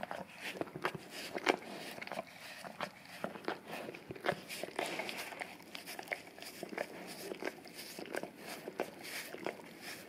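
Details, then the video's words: English cream golden retriever, male, indoors, licking a peanut-butter-covered Orapup tongue-cleaning brush taped to a tile floor; wet smacking laps and sharp clicks come in quick irregular bursts throughout, with soft rustling between them. "ASMR Dog Licking Orapup Tongue Cleaning Brush Taped Down to the Tile Floor - Golden Retriever"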